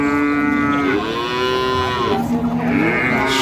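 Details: Cow at the twice-weekly Ambari cattle market in Parbatipur, Dinajpur, Bangladesh, among improved-breed dairy cows and calves: a long moo that starts level, swells and bends upward, then a second rising moo near the end.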